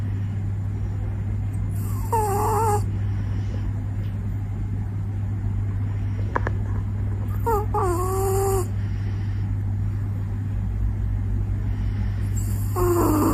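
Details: Sleeping puppy snoring: squeaky, whistled nasal tones that slide downward, recurring about every three seconds, each with a brief breathy hiss, over a steady low hum.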